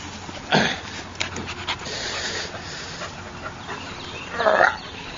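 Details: Akita puppy Spartacus, misbehaving with a hose among several puppies while being scolded, gives a short harsh bark near the start and another broad burst near the end, with scolding human voices and steady background hiss.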